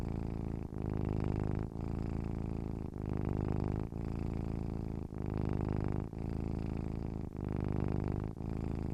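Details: Gentle, steady cat purr, a low continuous rumble that swells and fades with each breath, with a short dip between breaths about once a second; no other sounds.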